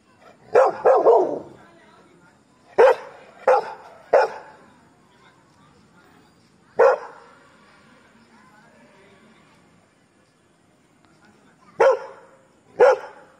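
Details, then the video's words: Labrador barking at strangers gives loud, abrupt barks, some in quick doubles, in bursts separated by a long quiet stretch, with faint low background sound between them. "Labrador barking।barkingatstrangers"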